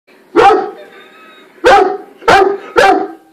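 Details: A male Weimaraner, apparently startled by himself, barks four times, each a sharp, loud, deep, full-bodied burst with a rough edge; after the first a pause, then three more in quick succession about half a second apart.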